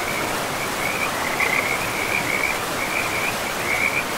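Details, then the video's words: Forest river frogs call in a chain of brief, high trills, one burst after another from about one second onward, partly buried under the constant hiss of the rushing river in a pristine, mossy woodland. "River and Frogs sleep sounds"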